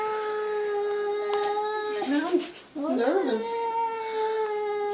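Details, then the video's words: Perseus, a cat adopted from the SPCA, moans to his mirror reflection. A steady droning tone runs throughout, broken midway by a short burst of human speech before the even moan resumes. "Perseus the cat talks to himself in the mirror"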